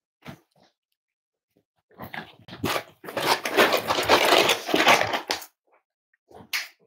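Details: Cavalier King Charles Spaniel puppies, five weeks old, kept indoors at a breeder's home on a chilly morning during weight checks: scattered yips, then a long, rough, crowded burst of squealing and yelping lasting about three seconds before fading.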